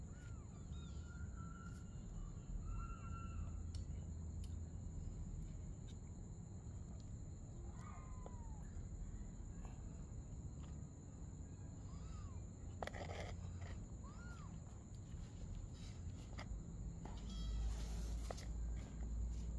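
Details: Cat mother and kitten playing together at night; several short arched meows rise and fall, scattered through the recording over a low, steady rumble of background noise.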